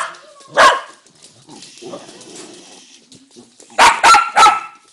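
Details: Single sharp dog bark, then a quiet stretch with faint low murmurs, followed by three quick loud barks close together near the end.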